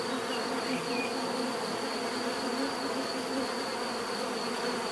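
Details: Steady natural buzzing of bees, a thick unbroken hum of many insects at once, slightly wavering in loudness, with a thin constant high tone over it.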